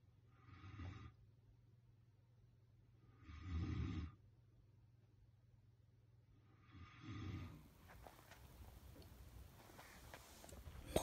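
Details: Kuzma, a Caucasian Shepherd Dog, snores while asleep: three deep, rasping breaths, each about a second long, come roughly every three seconds, followed by quieter breathing and faint rustling.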